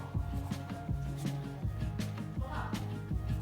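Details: Rhythmic instrumental music with a steady beat, with no animal sounds heard.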